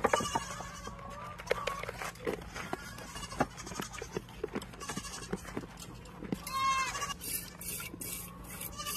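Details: Mountain goats on a homestead farm during milking chores; a short, harmonic bleat rises near the end amid a steady low hum, clatter and rustling throughout.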